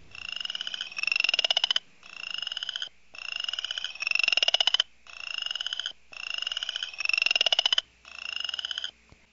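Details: A male Western chorus frog, a small frog just over 1 inch long, calls from water in Iowa in early spring to hold territory and find a mate, giving repeated rising, rasping trills like a fingernail run over a comb's teeth.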